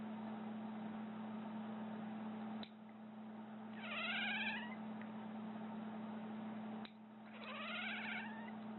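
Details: Indoor cat making a really weird sound in reaction to someone clipping their nails: two wavering, harmonic-rich cries, each about a second long, with a steady low electrical hum throughout.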